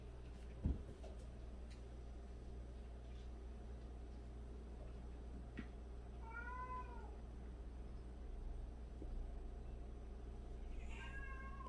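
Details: Cat in a household of 76 cats, including rescued strays; one drawn-out descending meow midway and a second, higher meow near the end, with a sharp knock early on and a low indoor hum throughout.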